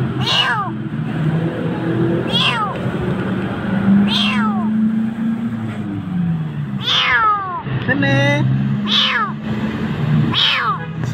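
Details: A frightened Jakarta kitten near death in a dark place meows repeatedly, about seven falling cries over eleven seconds, over a person's low murmuring voice and steady background noise.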